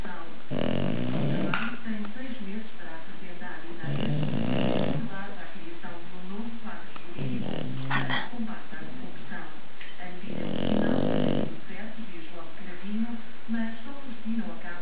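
An English Bulldog snores in loud, rasping bursts, with a human voice murmuring in the background.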